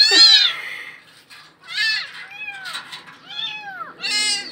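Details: Abandoned kittens stuck in a concrete well cry out with a run of meows: one loud, high, falling call, then softer, wavering meows, and a last loud cry. A faint low hum sits underneath.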